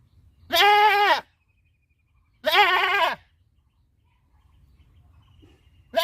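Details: Goat on a farm giving two long bleats, each under a second, with a strongly wavering, quavering tone and a third starting at the end; quiet background between calls.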